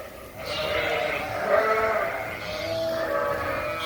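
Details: Suffolk lambs mixed into one group in a barn; overlapping, drawn-out bleats from several lambs blend together throughout, with a busy, noisy barn background.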